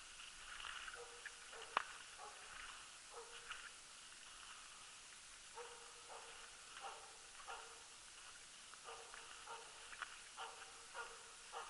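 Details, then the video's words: Barking of the Jämthund Rapp on a loose-dog elk hunt, 2012, tenth elk: clusters of short, sharp, moderately pitched barks at irregular intervals, some in quick doubles, with faint clicks and rustling nearby. "Löshundsjakt med jämthunden Rapp"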